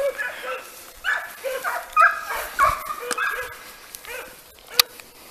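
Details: Italian hounds (Segugio Italiano) of the pack called Le Frecce, training on hare: short, yelping bays in irregular overlapping bursts, roughly two a second, with rustling and faint background noise between calls.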